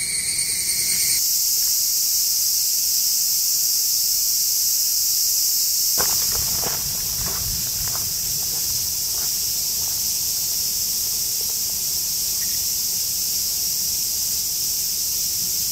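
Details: Cicadas in the woods beneath the Yoro Mountains along Japan's Tokai Nature Trail, heading north to Sekigahara: a dense, steady, high-pitched shrill drone throughout, with a hiker's footsteps crunching in the middle.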